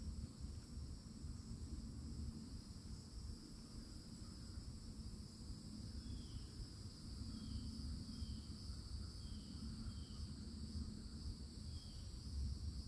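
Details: Loud summertime cicadas in Florida woods produce an unbroken shrill drone, while a bird adds a series of short chirps repeated every second or so in the second half, all over low background rumble.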